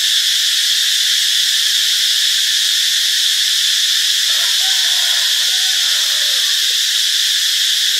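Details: Cicadas sing in a steady, high, hissing drone that never lets up, recorded in Ubon Ratchathani, Thailand, on 26 March 2021.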